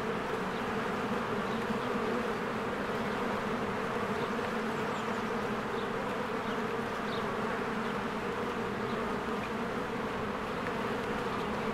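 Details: Spring honeybee hive with bees streaming in and out among blooming flowers; unbroken droning buzz of many insects, low hum beneath, and scattered faint high chirps from birds in the background.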